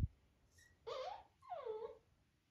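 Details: Labrador Retriever puppy named Happy whimpering indoors, asking to be lifted onto the bed for cuddling; two drawn-out whiny cries, the second sliding downward, in a quiet room.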